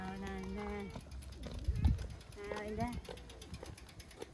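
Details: Mii-chan, a community stray cat with an injured paw, meowing sweetly while walking toward the person who feeds her outdoors. Two drawn-out, harmonic meows, the first level then dropping, the second rising then falling, with faint rustling and footsteps.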